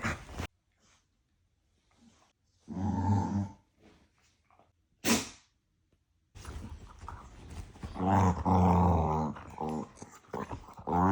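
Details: Two dogs bickering like a couple, all bark and no real fight: low rumbling growls and grumbles build into a long, continuous growling exchange, with a few sharp thumps and clicks in between.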